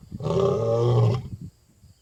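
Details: Wild African lion roaring into the night in Africa: one loud, deep, rich roar held for about a second, then fading. A faint high tone runs behind it.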